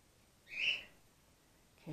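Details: Orphaned-in-care grey-headed flying-fox pup Gwickle, female, support fed by bottle on her second day in care. A single sharp, high squeak lasts about half a second, followed by a brief low rustle at the end.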